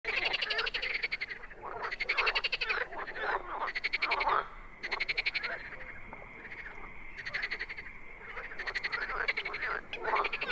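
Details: Wild frogs calling in a dense chorus: rapid rattling, pulsed croak trains overlap in bursts of one to two seconds, with a thin steady high whine running underneath.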